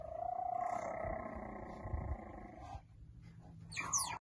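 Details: Cheetah cubs three weeks old among five siblings squabbling over a warm spot on hay; a steady, slightly wavering mew-like tonal call for nearly three seconds, then a brief rising bird-like chirp at the end.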